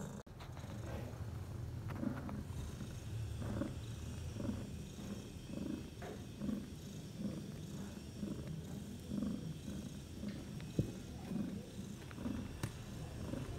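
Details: Domestic cat Bella purring beside her four newborn kittens, three males and a female, six hours after an unassisted night-time birth; deep rhythmic purr cycling roughly every second, with a sharp knock near the end.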